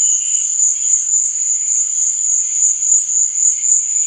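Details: Crickets chirping at night, one unbroken high, thin ringing trill with a quick pulsing beat and faint lower-pitched chirps beneath.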